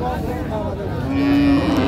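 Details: Short, low, steady moo from cattle at Raniganj hat livestock market in Dinajpur, 8 May 2025, where cows and calves are on sale; one flat lowing note near the end, with traders' voices and market noise behind.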